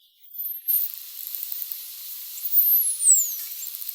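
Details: High, thin whistles from striped dolphins (Stenella) sweep steeply downward, used for social communication, with faint ticking echolocation clicks scattered behind them.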